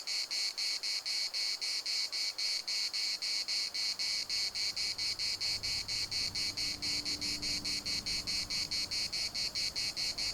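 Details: High, grating cicada song from the municipal park in Larnaca, pulsing in steady beats, joined partway through by a faint, low, steady tone in the background.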